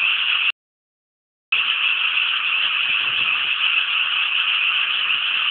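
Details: Frogs chorusing from rice paddies around Inasato in Nagano City, Japan: a dense, unbroken wall of rattling croaks. The sound drops out completely for about a second near the start, then resumes just as thick.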